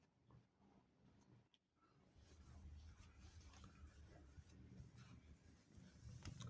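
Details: Male cat that tends kittens every day and lets them suckle as if their mother, indoors with the kittens; a low, steady throbbing rumble pulses about four times a second, softly under occasional clicks, rustling and faint human talk.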